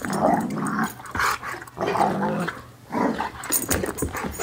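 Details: Pair of dogs play-wrestling, giving rough growling bursts roughly every second or two, separated by brief quieter gaps, with scuffling noises between.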